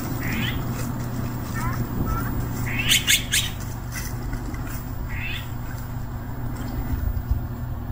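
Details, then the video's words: Hungry stray cat calling with several short, high meows spaced a second or two apart, some faint, against constant low rumble and a few brief clicks. "굶주린 길고양이"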